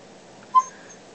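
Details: Ollie the dog, a chatty office companion, gives a single brief high whimper in reply to being asked what he ate for lunch, surrounded by quiet room tone and a person's voice.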